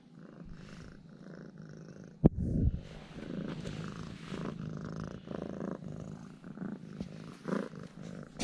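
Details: Purring from a pet cat turned affectionate after being fed two ham sausages: a steady low throbbing purr with a sharp knock just past two seconds, then continuing in regular breaths.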